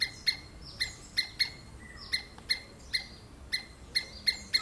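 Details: Squirrel screaming: sharp, piercing chips repeated roughly every third to half second, each with a bright upper overtone, over a quiet background with faint extra chirps.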